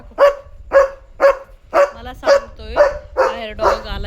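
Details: German Shepherd at night alerting that a dog has come outside, barking nonstop: eight loud barks about half a second apart, the later ones longer and rougher, with low background rumble.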